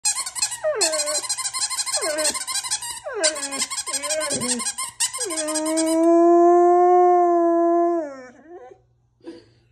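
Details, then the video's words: A female Old English Sheepdog makes squeaky, falling yelps as a dog toy is squeezed, then answers with her first howl, a long, steady, mid-pitched one. "Moggy the Doggy Learns to Howl"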